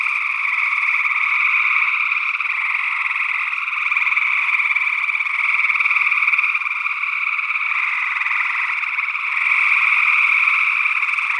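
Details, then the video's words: Gray tree frog calls from Northwest Wisconsin in early June 2022, recorded with ORTF-mounted sE8 condensers into a Tascam DR-60D II; dense overlapping trills blend into one constant ringing chorus that pulses faintly in volume. "Gray Tree Frog Calls"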